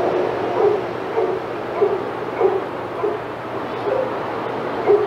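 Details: Senior dogs in an outdoor yard at Old Friends Senior Dog Sanctuary get excited as another dog, Titus, passes. Mid-pitched barks and yips come irregularly, roughly two per second, over a steady broadband hiss.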